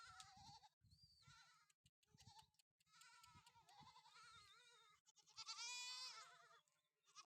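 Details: Farm-kept Sojat goats, a herd of young bucks and pregnant does, giving repeated quavering bleats that overlap, the last one rising louder and higher, with soft low knocking sounds underneath.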